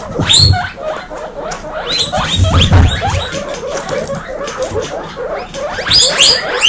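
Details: Baby female guinea pigs housed as a group wheek loudly, pouring out rapid rising whistled squeals in bursts, some very high, over busy chirping and a few low thuds.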